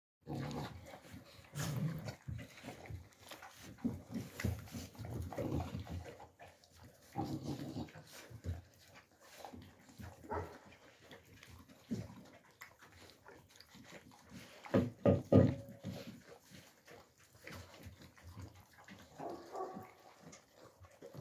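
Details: Young Central Asian Shepherd Dog (Alabai) puppies in winter 2022: irregular low grunting and growling bursts, with a louder harmonic yelp around fifteen seconds and a brief whine near the end.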